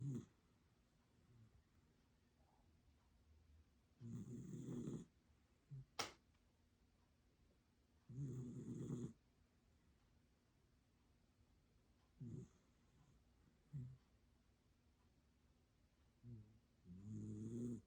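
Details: Dog asleep indoors, snoring in low rumbling bursts roughly every four seconds, with quiet pauses between breaths and one sharp click near the middle.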